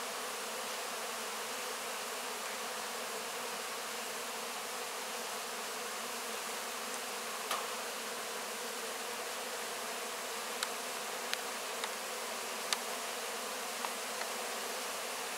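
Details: Honey bees cleaning up wax cappings after the honey harvest, licking up the honey; a steady, dense hum of many bees throughout, with a few faint sharp clicks near the end.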